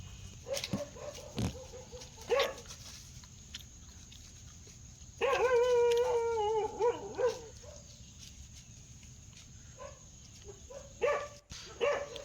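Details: Dog giving a few faint scattered barks, then a louder wavering whine or howl lasting about two seconds, with a couple more short barks at the end over a steady high background hiss.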